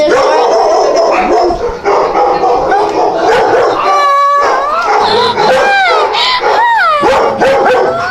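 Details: Several dogs, one of them tiny like a fur ball, make a dense overlapping chorus of high yips and barks, then drawn-out rising and falling whines with clear ringing tones in the second half. No voices are heard over them.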